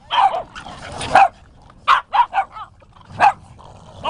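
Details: Boston Terriers romping together at Dusty Rhoades Dog Park in San Diego during a group gathering of as many as 25 dogs; quick, clipped yapping barks come in uneven clusters, roughly one per second, with a quiet outdoor background.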